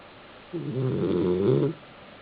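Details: Sleeping male Basenji on his back in a South Park, Pennsylvania apartment, producing one drawn-out, buzzy, nasal snore of just over a second, rising slightly in loudness toward its end.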